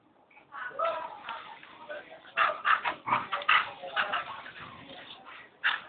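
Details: Pet dogs yapping and yipping in quick, uneven bursts of short high barks and whimpers, several per second, with a person's voice mixed in.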